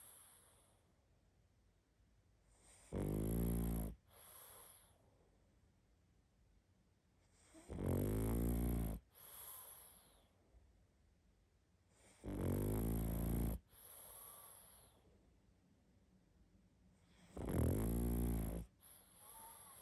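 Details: A pug asleep and snoring hard, four deep rattling snores roughly every five seconds, each loud grating inhale trailed by a brief softer wheezy exhale, quiet between them.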